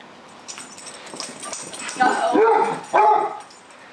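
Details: At home, Gibbs the dog lets out a loud, drawn-out whining bark and then a second shorter one about a second later, both full and wavering, after a soft stretch of faint rustling.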